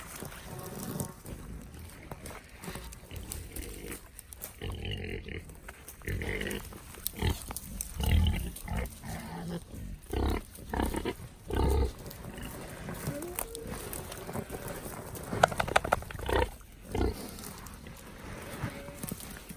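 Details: Wild boar playing with a ball, giving deep, rough grunts in short irregular bursts with snuffling noises between them.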